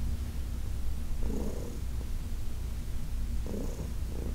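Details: Heidi, an older cat from a New York City shelter, purring while massaged; constant low rumble with two brief airy pulses about two seconds apart.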